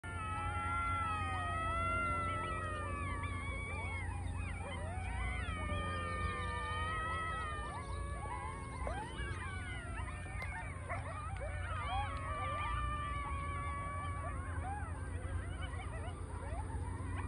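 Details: A pack of coyotes on a golf course in Scottsdale joins in a roll-call chorus of wavering, sliding howls and yips.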